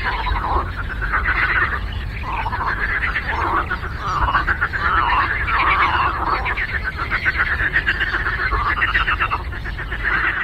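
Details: Frogs in chorus on a lake: many overlapping, rapidly pulsed croaks form a dense, continuous rattling wall of sound, with a steady low rumble underneath.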